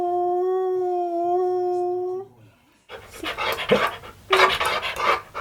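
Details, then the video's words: Pet Siberian Husky humming in place of a full howl: a steady, even tone held for about two seconds, then a quiet pause, followed by loud broadband noise bursts, possibly music or handling sounds. "My Husky Humming Weird Funny Sound Effects"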